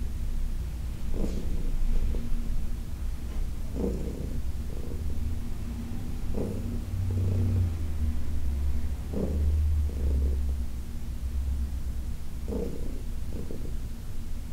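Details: Heidi, a senior cat adopted from the Humane Society of New York City, purrs during a massage on August 4, 2021. A steady, deep rumble runs throughout, with soft rubbing and shuffling bursts every second or two.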